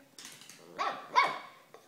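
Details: Pika, an 18-month-old female Cavalier King Charles Spaniel, wanting to play, gives two quick, bright barks.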